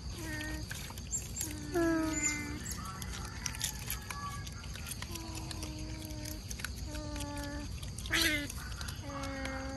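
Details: Several otters calling at mealtime near mangroves, fed mullets: steady high whistled tones with stacked harmonics, some flat and some gently rising, overlapping one another throughout, with a brief noisy burst near the end.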